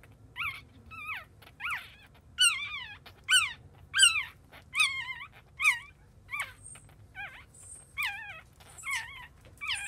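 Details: Newborn Chihuahua puppy just after birth, giving high, thin squeaky whines that rise then fall, about ten in a row roughly one per second, with faint background hum.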